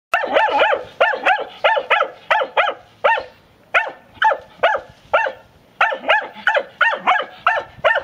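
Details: A Segugio Maremmano hound in training gives rapid, repeated yelping barks, several each second.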